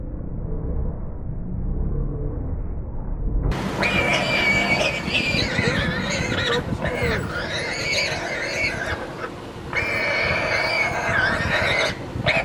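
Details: Warthog caught by a leopard in Kruger National Park, filmed 14 February 2016. Quiet at first, then from about three and a half seconds loud, harsh, wavering screams with strong harmonics continue almost without break to the end, with brief dips.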